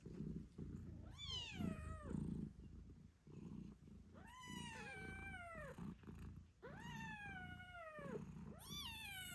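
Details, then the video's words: Eight-day-old British Shorthair kittens squeaking beside their nursing mother Moon Stone: four loud, high meows that rise then slide down, with her low, rumbling purr underneath throughout. "Cute Kittens Meowing Yawning Sleeping Cat Mom Purrs Loudly 🥰 8 Days After Birth British Shorthair"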